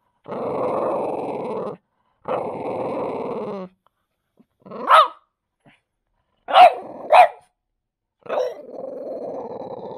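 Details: Enraged French Bulldog defending its deer bone: two long gravelly growls, then quick sharp snapping barks in a short burst, finishing with a lower lingering growl.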